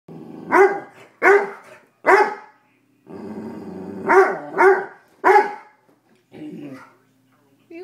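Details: Toby, a pet dog in a basement, barks loudly at his first raw chicken foot, afraid to touch it. Sharp barks come in two groups of three, with a low rumbling growl between them. A person's voice follows at the end.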